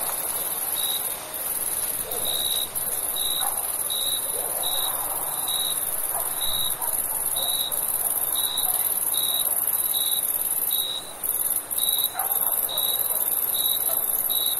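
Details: Night-time summer cricket chirping: clear high pulses repeated steadily about every half-second to second throughout, layered on a continuous shrill background chorus, with a few faint soft rustles.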